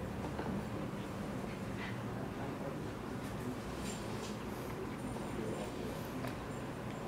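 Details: Steady low rumbling background noise with faint scattered clicks, and no clear animal voice.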